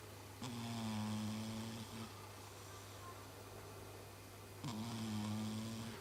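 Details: Chibi, a pet cat, snoring like a human while asleep: two long, low droning snores, each about one and a half seconds, the second arriving after a quiet gap of nearly three seconds, over a steady low hum.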